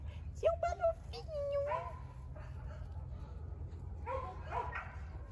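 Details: Border Collie puppies, 49 days old, with a German father and Russian mother, giving short whining whimpers and tonal squeaks, rising and falling, with quiet human voices in the background.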